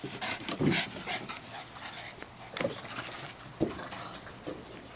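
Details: Boston Terrier named Roscoe playing with his favourite 8-inch red Jolly Ball Tug'n Toss; a brief whiny, harmonic vocal burst early on, then scattered sharp thumps and rustling from the play, with a noisy background throughout.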